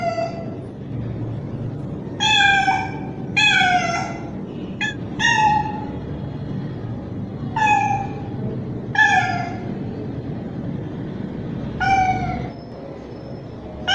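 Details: Young male street cat calling a female in heat: loud, drawn-out meows with rich harmonics, each falling slightly at the end. About eight come at irregular intervals of one to two and a half seconds over a low background hum.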